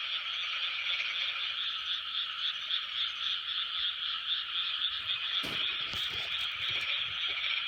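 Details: A 2020 chorus of numerous frogs, a steady layered croaking with a faint pulsing texture, interrupted near the end by a few sharp knocks or handling noises.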